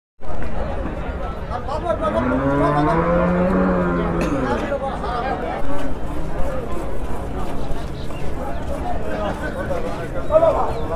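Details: Holstein Friesian dairy cow, an improved breed giving 40 litres of milk, being milked at the Aronkhola cattle market; a low, drawn-out moo with rich harmonics swells over about two seconds, amid steady chatter and men's voices.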